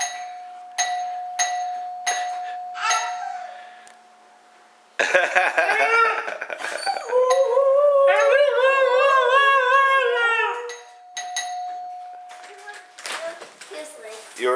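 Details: Misha, a talking dog excited by a doorbell, answers after bell chimes with a long run of wavering, yodel-like howls that rise and fall in pitch, then the chimes ring again; a person speaks to the dog.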